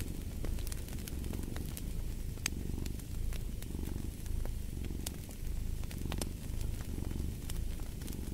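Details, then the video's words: Domestic cat purring steadily in a low rumble that swells and fades in regular breath cycles, about one per second, with sharp crackles and pops of a fireplace scattered throughout. "Purring of a Cat"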